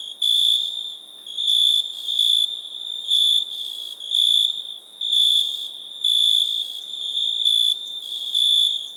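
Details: Cricket chirping: a steady high, thin trill with louder bursts about once a second, set against a continuous quieter buzz of similar pitch.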